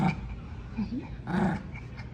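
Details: Maltipoo puppy growling while holding a toy during a tug-of-war game, low rumbling growls with short higher whiny bursts near the start and middle, indoors with faint background noise.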